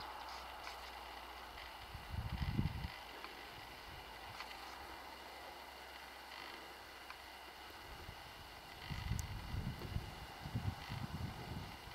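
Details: Steady wind noise with low rumbling gusts and a few faint clicks; no clear animal call stands out.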